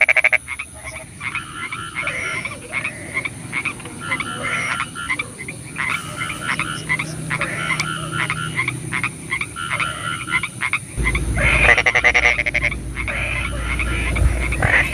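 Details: Rainy-night frog calls: short croaks repeated roughly two to three times a second in an uneven rhythm, joined near the end by a deep rumble and a brief burst of fast pulsed croaking.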